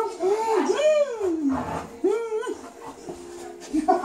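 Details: Samoyed playing indoors, giving long wavering whines that rise and fall in pitch, two drawn-out vocal sweeps with softer yips between, in a small room.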